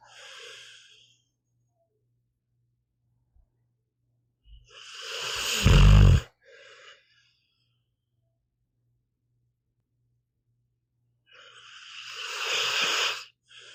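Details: Meatball the pit bull sleeping: quiet breaths, then a rising inhale that ends in a loud, low, rumbling snore near the middle, a long silence, and another breathy snore-laden inhale near the end.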